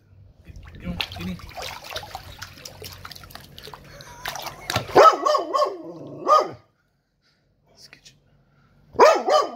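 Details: Turbo the dog upset after his toy drowned; human talk and splashy noise fill the first half, then a burst of high, wavering whine-barks, a short pause, and one more strained yelp near the end.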